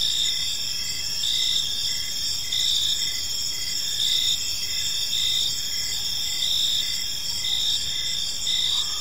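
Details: Crickets chirping in a park on an evening: dense high-pitched trilling bands, steady and pulsing, with several insects overlapping in a continuous chorus over a low hiss of background noise.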